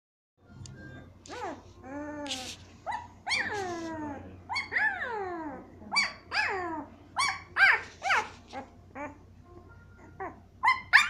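Week-old Siberian Husky puppies whimper and squeal in high, wavering, falling whines, one after another.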